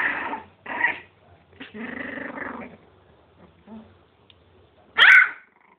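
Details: Miniature pinscher puppies playing: bursts of rough, buzzy growling with harmonic yelps, a longer sustained growl in the middle, then one sharp high yip near the end, with short quiet gaps between.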